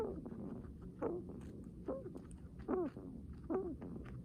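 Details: Heavy breathing from a guinea pig: four low, curved squeaks that sag downward, spaced roughly a second apart, with a soft, muffled low hum behind them.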